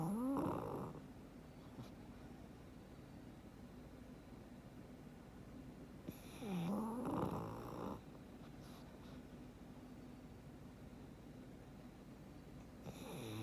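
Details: Sleeping soundly, Frank the black pug gives raspy, buzzing snores roughly every six seconds, each swooping down then up in pitch, with soft breathing noise filling the pauses in a quiet room.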